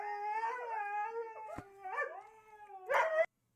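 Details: Pet Siberian Husky giving its signature 'scream', done all hours of day and night, for instance whenever it wants to go to the bathroom: a sustained, wavering, rich howl with warbling breaks and a sharp rising yelp near the end.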